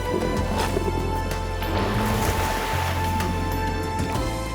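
Steady documentary music over a low engine-like rumble, with no animal voice heard.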